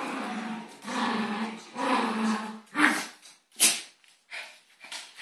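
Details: Little dog and big dog in a fight with a neck grip; sustained throaty growling for the first three seconds, then sharp scuffling bursts and clatter, indoors.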